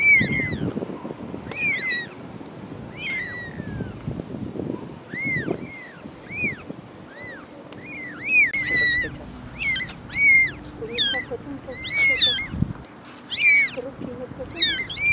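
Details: Mother cat and four kittens: persistent high, curving mews from several animals, sparse at first then dense and overlapping, with low bumping and rustling noises beneath.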